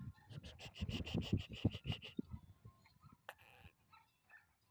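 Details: Bully dog from Punjab, Pakistan, panting in quick, rhythmic breaths for about two seconds, then quieter scattered rustling and a short sharp noise near the end.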